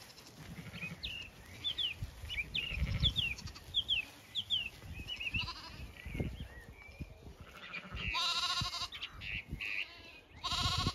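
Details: Flock of Zwartbles sheep heading out to graze in the cool late afternoon on an Irish farm in County Kilkenny; songbirds chirp repeatedly before two strong, quavering bleats near the end, over grass rustling.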